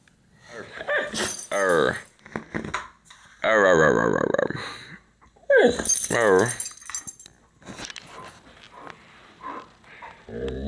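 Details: Siberian Husky Lincoln indoors in the morning, vocalizing because he wants to go out, as he does every day: three long wavering, harmonic moans that rise and fall in pitch, with short yips and grumbles between bouts in a small room.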